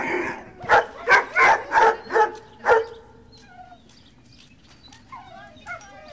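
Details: Dogs at breakfast time at the Service Dog Project in Ipswich, Massachusetts, USA, on 30 November 2017: six loud, harmonic barks about every half second in the first three seconds, then quiet whines and faint yips.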